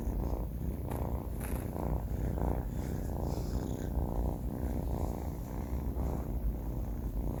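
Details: Sleeping four-month-old male cat Banh Mi snoring: a deep, husky rumble rising and falling with each breath in an even rhythm, a few brief sharp ticks in the background.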